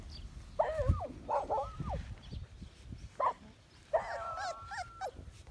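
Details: One-month-old medium poodle puppy giving loud, drawn-out whines: two close together near the start, a brief yelp, then a long, wavering whine after four seconds. Faint background voices can be heard.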